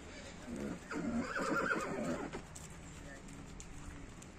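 A horse lets out a short, tremulous whinny lasting about a second and a half, loud and wavering in pitch. Afterwards only faint background noise remains.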